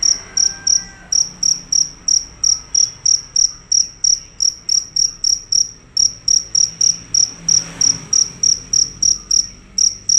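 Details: Fierce cricket singing loud and nonstop: a long series of about thirty-three high, ringing chirps at a brisk regular pace, with one brief pause and quiet background noise.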